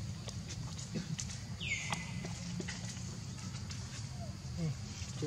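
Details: Baby monkey named Leo crying to its mother, begging for milk: one high descending whistled cry that slides down and flattens into a steady tone, over low rumbling background noise and faint clicks.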